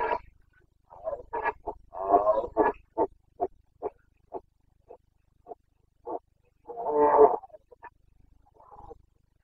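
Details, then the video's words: Roaring Carpathian stag in Bucovina's forests during the 2022 rut; a series of loud guttural roars breaks into a string of short grunts spaced about half a second apart, then one more long bellow and a fainter grunt. "Boncănit / Carpathian stag Breeding season"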